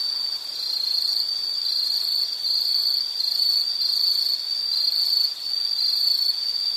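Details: An insect's high, continuous, shrill trill that holds one pitch, with faint brief dips in loudness, and no other sounds.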